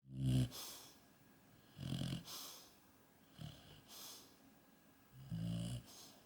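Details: Maria, a yellow Labrador Retriever, snoring while asleep: low, rough breathy bursts, about four in six seconds, each with a soft hissing top, separated by quiet pauses.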